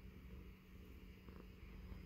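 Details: Purring from Baby Girl, a female indoor tuxedo cat snuggled into a man's beard; a soft, deep, steady rumble with a constant low electrical-sounding hum alongside.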